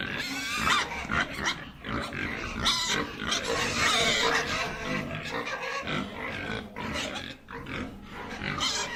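Pigs grunting and squealing in a steady, busy jumble, about four grunts a second, with some harsher higher squeals mixed in.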